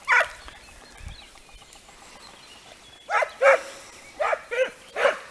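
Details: Segugio Italiano dogs in hare-training work. A single bay is followed by a long lull, then five bays in close succession, some with a brief held note.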